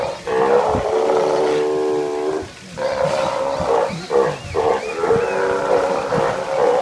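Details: Steller sea lion voice: long, loud, harmonic roaring calls, the first lasting nearly two seconds, followed by shorter gruff bursts and overlapping roars, possibly several animals calling.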